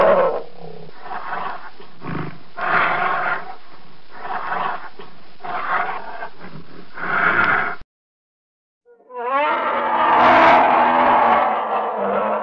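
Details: Polar bear producing a steady run of rhythmic, rasping growls and huffs, roughly one pulse per second. After a brief silence comes a louder, wavering, moaning roar.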